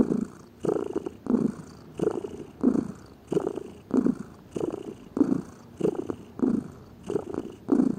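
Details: Close purring of a lazy house cat, a throaty rumble pulsing in and out with each inhale and exhale, about twelve even pulses over eight seconds.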